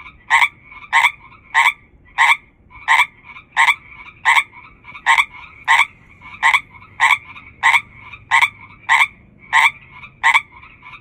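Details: Among hundreds of frogs calling together, one dominant frog gives a steady series of about seventeen short, grating croaks, roughly every 0.65 seconds, above an unbroken buzzing chorus.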